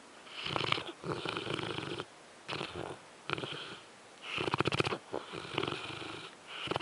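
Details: French Mastiff snoring while asleep indoors: loud, rattling, raspy breaths in long bursts, each lasting about a second, separated by short quiet pauses in a steady rhythm.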